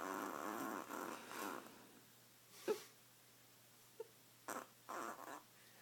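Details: Noisy badger snoring in its sleep: a run of rough, rasping snore breaths, then quieter gaps broken by short snorts and clicks.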